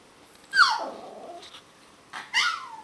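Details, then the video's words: Alaskan Malamute pups between 18 and 25 days old: a loud piercing yelp that falls into a drawn-out moaning whine, a pause, then a second rising-and-falling squeal. "cuccioli di alaskan malamute dal 18 al 25 giorno"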